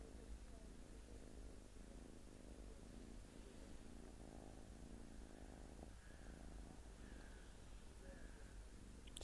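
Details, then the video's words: Domestic cat purring: a steady, low rumbling purr throughout, with fine rapid pulsing and a faint higher hum midway, in a quiet indoor setting. "The Cat as a small & sweet purring piranha"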